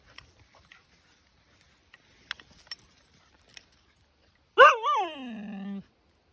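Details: Pet Siberian Husky outside in the rain, upset no one will play: after seconds of faint scattered tapping, one long, loud, wavering howl-like complaint that rises, wobbles twice, then holds a steady lower drawn-out tone.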